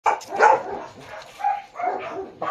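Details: Japanese Akita dog in Baguio City, recorded 21 October 2023 during a dog shoot: a handful of short, rough barks at uneven intervals, with a man speaking between them.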